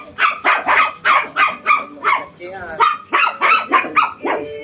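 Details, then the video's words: Shih Tzu and Belgian dog facing off, the small one described as tiny but fierce; rapid, harsh barks repeated about three times a second, overlapping, with a brief whining whimper midway. "Shih tzu VS Belgian"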